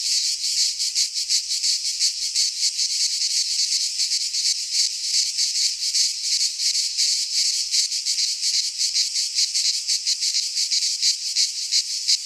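A cicada's shrill, continuous buzzing drone, high-pitched and pulsing rapidly without pause.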